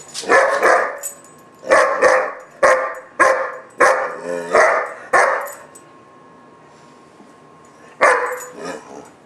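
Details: Gunner, a German Shepherd puppy of about 4-5 months, throwing a temper tantrum: sharp hoarse barks in quick pairs and singles, then a pause of near quiet before a final bark.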